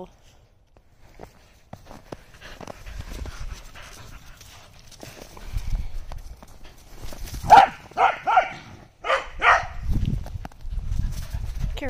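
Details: Corgis chasing thrown balls in the snow; a corgi gives a quick run of sharp, excited barks, with soft human voices in the background.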